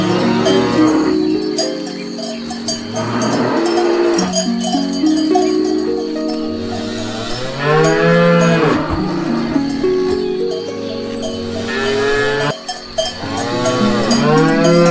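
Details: Grazing herd of cows eating grass. A series of long moos, several overlapping, rise and fall over steady cowbell clanging, with a short sharp knock near the end.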